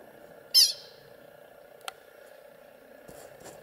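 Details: A pika gives a single sharp, high, squeaky eek as a warning call from a rock fall at Milner Pass Lookout, Rocky Mountain National Park, 13 August 2021. Pika.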